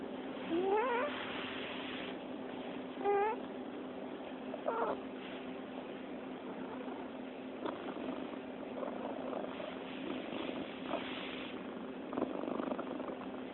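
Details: Sleeping cat shifting from squeak-snores to purring when petted: two rising whistled squeaks early, then a soft, rough, continuous rumbling purr with rustling.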